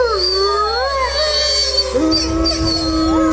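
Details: Gray wolves, alpha leaders at the front of a pack confronting an intruding rival pack: several overlapping howls sliding up and down, some long and level, others wavering, with a low droning background.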